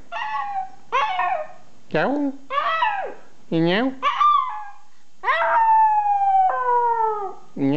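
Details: A little dog trades howls with a person in a playful conversation: rapid wavering yodel-like howls, rising and falling notes, and one drawn-out falling howl lasting over a second, interleaved with human imitation sounds.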